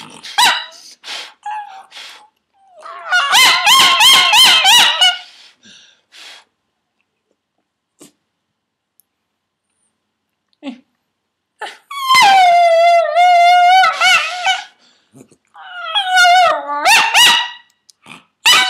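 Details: A 12-year-old female miniature schnauzer howls for fun in bursts of high, tremulous, wavering howls broken by short pauses.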